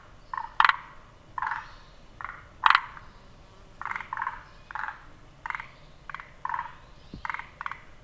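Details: Forest green tree frog croaking, its vocal sac swelling three times as it calls; short grating pulses grouped in pairs, about thirty per minute, with occasional sharp clicks.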